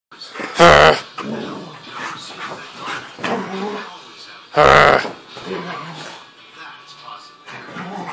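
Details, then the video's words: A pet husky goes wild indoors, giving two loud, harsh, yowling bursts about four seconds apart. A man talks between them, and faint music plays in the background. "husky goes crazy!"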